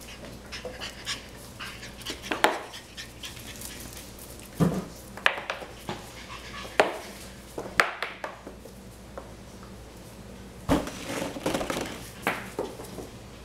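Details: Cavalier King Charles Spaniel puppies, seven and a half weeks old, pant and give soft, brief whimpers in a small indoor room.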